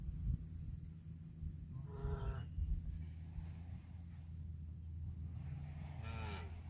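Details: Cattle eating grass, two drawn-out moos with rich harmonic layers, the first near two seconds and a second, rising-falling one toward the end, over a steady low rumble.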